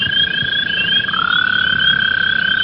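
American toad giving a long, steady musical trill, one of the spring amphibian calls.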